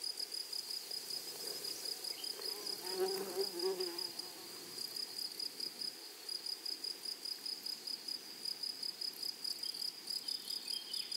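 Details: Grasshoppers in a flowery meadow: a steady high buzzing band runs throughout, with faint rapid pulsing above it and a brief lower murmur near the third second.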